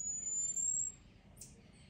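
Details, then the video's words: Marmoset giving a loud alarm to its companions about a nearby cat: a piercing, very thin high whistle held almost level for nearly a second, then a short soft rustle against a quiet low hum. "SAGUI CHAMANDO, SOM DE SAGUI, BARULHO DE MICO CANTANDO"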